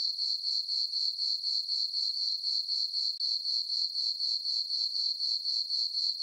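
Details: Steady cricket chorus from a farm meadow on a full-moon summer night: piercing, evenly spaced chirps about four per second, no other sound.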